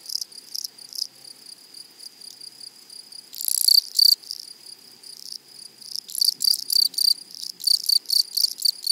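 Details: From a flowery meadow, loud scratchy bursts of insect stridulation rise over a thin steady hiss, quiet at first, then surging into rapid rasping pulses about four a second toward the end.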